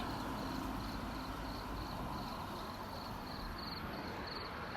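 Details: Frogs in Kumamoto, Japan, recorded on 10 June 2024: a steady run of short, high, pulsed notes, several each second, over a constant broadband hiss of background noise.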